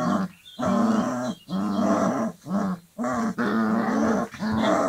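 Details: Dogo Argentino puppies aged 25 days playing with each other; a continuous rough growling, broken into five or six long bouts separated by short pauses.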